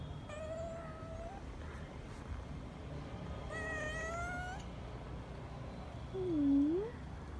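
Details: Female kitten meowing to call her sleeping father to play; several drawn-out harmonic meows, one long call near the start, a stronger one mid-clip, and a short low dipping mew at the end over steady low background hum.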